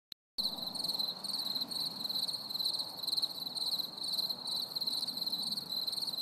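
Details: Crickets chirring on a stormy summer evening: a dense, continuous high trill with fast pulsing and a shimmering overtone band above it, over a soft low rumble of background noise.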